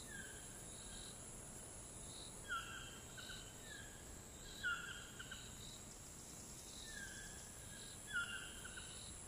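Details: In the Costa Rican jungle, cicadas keep up a steady, high-pitched buzzing drone while a bird, possibly a toucan, gives repeated harsh yelps.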